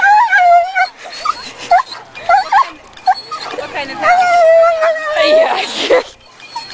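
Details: Female dog at her first lure coursing event at a local dog park, hyping herself up before running the course: high, drawn-out whines and short yips in several bursts, mixed with people talking nearby.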